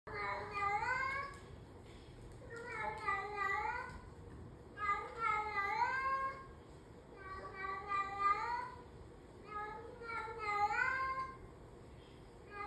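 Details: A female domestic cat (Felis catus) that habitually "talks" and "sings" around the house gives long, wavering meows, each rising and falling, repeated every two to three seconds.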